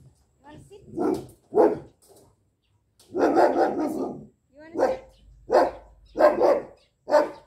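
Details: Lucy, a jet black female Belgian Malinois puppy two months old, barks during training: sharp single barks, then a quick cluster and a run of spaced barks over seven seconds, with a woman's voice in between.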